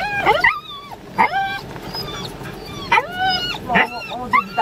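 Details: Wheaten Terrier giving high, sliding whines and yips in about five short bursts, each with a bright harmonic stack that bends down in pitch; a quiet human voice is faintly present.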